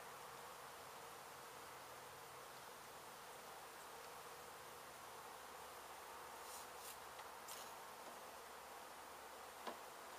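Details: Honey bees roused when construction crews struck their hive in a house being demolished in Mission, Texas, during a relocation rescue; an even, continuous droning hum, with brief scraping noises near the end.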